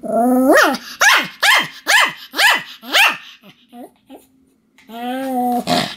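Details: Sam the Pomeranian barking continuously: a run of six rapid sharp barks dropping in pitch, a couple of soft yips, then a drawn-out whining bark.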